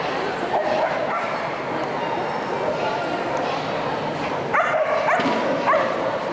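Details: Ray, a Keeshond, running his first agility course at the AKC Agility Invitational in Orlando on 12-14-2012 after four days of driving across country; short high yips near the end over steady crowd murmur and arena noise.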